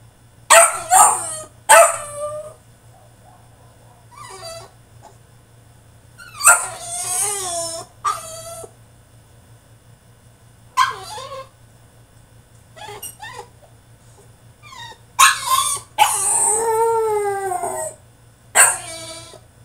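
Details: A French Bulldog protests in his cage with rapid clusters of yelps, squeals and wavering whines. The outbursts come in irregular flurries and build to a long, warbling complaint near the end.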